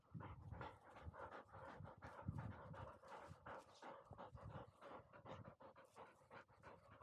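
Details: Field-type Labrador Retriever puppy aged 439 days, running up a slope; continuous quick panting, breathy and even, roughly several puffs per second with a low rumble of movement beneath.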